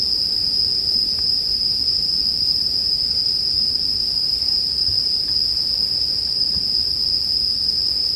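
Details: Steady high-pitched ringing of bell crickets, heard as sleep music beside a bonfire. The tone runs evenly without breaks, and faint ticks of burning wood show through only now and then.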